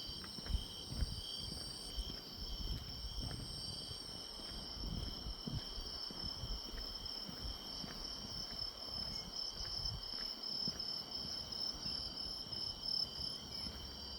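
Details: Grass insects in autumn beside a walking path: a constant shimmering chorus of high trills, with one band briefly fading and returning, over low outdoor rumble.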